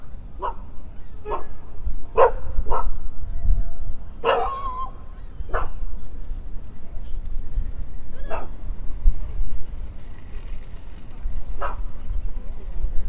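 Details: Dogs romping in the off-leash area of Toronto's downtown Trinity Bellwood's Park in spring, giving clear separate barks, some in quick pairs and others after pauses of several seconds, over low city rumble.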